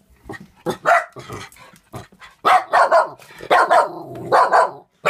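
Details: Norwegian Elkhound and German Spitz Mittel barking at balloons indoors: rapid clusters of sharp, overlapping barks, about five bursts in quick succession, with short pauses between runs.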